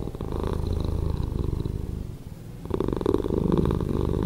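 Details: Slowed-down purring of a pet cat, a deep fluttering rumble that softens midway and then swells again, steady pulsing throughout.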